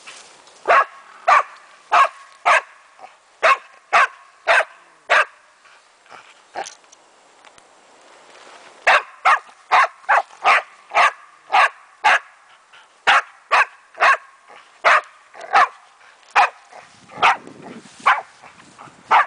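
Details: Excited German wachtelhund Meya barking at a raccoon dog she is having fun with: rapid rhythmic barks, two per second, about thirty in all, broken by one short pause midway.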